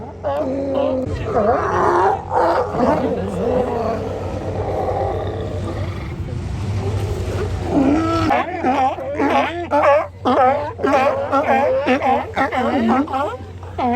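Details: Sea lions gathered at Kiddie Beach in Oxnard, California; a dense overlapping chorus of harsh, wavering barks and groans, several animals calling at once, with a low hum and a brief noisy wash midway.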